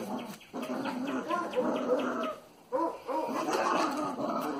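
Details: Young Cavalier King Charles Spaniel puppies from Nacogdoches, two males born January 26th, whine in bending, wavering tones, one long stretch and then a second rising series after a brief quiet pause.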